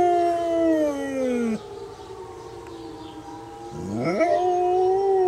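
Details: Pet dog howling with a tornado siren, a long falling howl that breaks off, a quiet stretch of steady siren drone, then a new howl sweeping upward and holding level.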